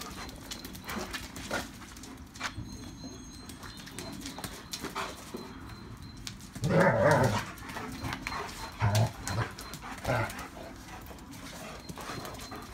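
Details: German Shepherd pack playing outdoors in the rain; a loud rough growling burst near the middle, then shorter grumbling outbursts, over constant broadband crackle and patter.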